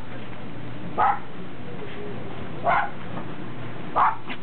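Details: Pembroke and Cardigan Welsh Corgis with a Cairn Terrier, 30 December 2006: three separate short, bright barks spaced about a second and a half apart, with faint murmuring in between.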